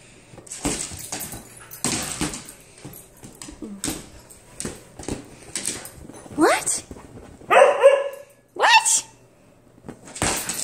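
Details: Nala, a female husky, playing excitedly indoors at home in a ball-bouncing game, gives a few short rising whiny yelps and a brief howl-like call in the second half, between people talking and thumping noises.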